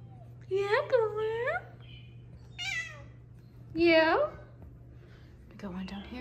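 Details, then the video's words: Several kittens giving short rising-falling squeaky meows and pips, three clear calls with a fainter one at the end, while a woman talks softly to them indoors over a low steady hum. "Lots of kitty pips and squeaks"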